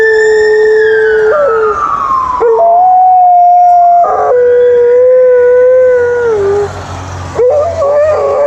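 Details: Alaskan Malamute in Upper Šiška giving a welcome back howl: long sustained tones that slide and waver, steady then breaking upward, with a second falling voice early on and background noise.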